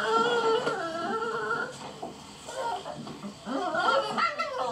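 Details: Several Beagle puppies wanting attention outdoors, overlapping wavering whines and cries forming a continuous chorus with brief gaps, some scuffling noise beneath.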